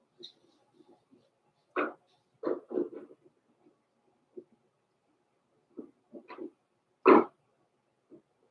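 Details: Indoors in a puppy pen, Blenheim Cavalier King Charles Spaniel pups, born November 14, 2022, give soft scattered whimpers and several sharper yelps, the loudest near the end, in a quiet room.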